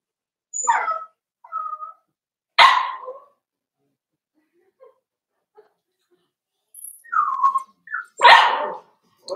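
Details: Daisy's four-week-old Cavalier King Charles Spaniel puppies in their pen: scattered high yips and short whines, two sharp bark-like yelps standing out, separated by quiet gaps.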